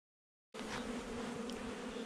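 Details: Honey bees in a nuc hive installed a little over a month earlier, heard during a hive inspection on 8 July 2020; after half a second of silence, a steady, even colony drone with a low buzzing hum begins.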